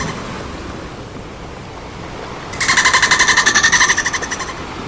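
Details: A dolphin at play lets out a single buzzy burst of rapid, evenly spaced pulses with a ringing tonal edge, lasting about two seconds after a stretch of soft rushing background noise.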